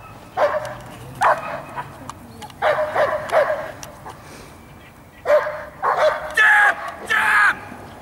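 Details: Giant Schnauzer barking loudly in broken bursts, single and paired deep harsh barks spaced by short pauses, ending in a fast cluster of three, with a soft human voice in the gaps.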